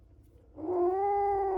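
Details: Kittens that sheltered in a house after a night of heavy rain give a steady, low, moaning warning call after a brief quiet, protesting a person approaching the spot they claimed as territory.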